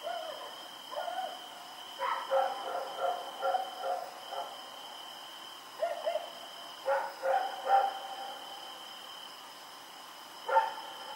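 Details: At night on Oct 7, 2018, Rex the dog runs around and barks in uneven bursts, mid-pitched harmonic yaps clustered in runs of three to five, with a constant high tone humming behind.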